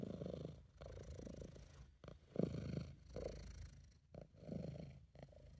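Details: Purring from a relaxed, contented British Shorthair cat, recorded by an amateur: a deep, steady rumble in long breath-length stretches, briefly broken by short pauses, with one louder swell midway.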